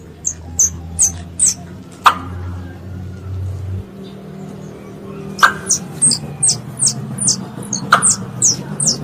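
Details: Squirrel calling its mother: short, very high descending chirps in quick runs at the start and end, a few sharp clicks, and a low steady hum in the middle.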